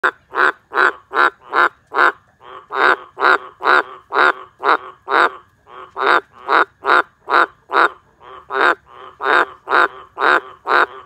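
A green tree frog gives loud, nasal croaks in rapid, steady bursts, a couple every second.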